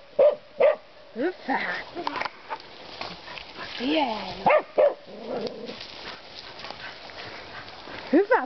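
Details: Finnish Karelian Bear Dogs, a male and a female, bay a wild boar with sharp, ringing barks in short bursts and pairs while a man's voice praises and urges them on between barks.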